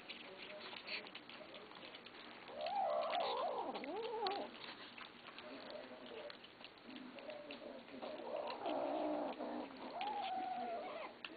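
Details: Kittens growling at each other as they eat, low wavering growls that rise and dip in pitch, rough and noisy, with chewing and clicking sounds in between.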